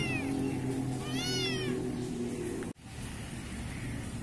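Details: Kitten in a Pakistani garden, black-coated, giving two thin, high mews about a second apart before an abrupt cut, over a persistent low drone.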